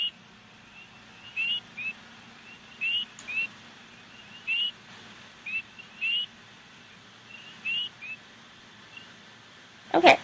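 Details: Several male spring peepers give short, high, rising peeps, their typical advertisement calls, overlapping irregularly in a night chorus.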